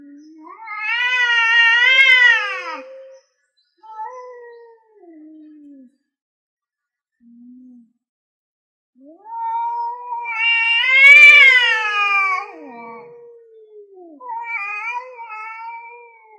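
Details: Two male cats, an orange one defending its land against an intruding grey one, yowl loudly before a territorial fight: two long, wavering, harmonic wails that rise then fall, with quieter short moaning calls between them and a brief pause of near silence.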